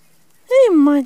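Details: Monte, a five-week-old dark chocolate Rat Terrier puppy, gives a single clear whine that rises briefly, then slides downward over about half a second, with a slight break near the end; otherwise quiet.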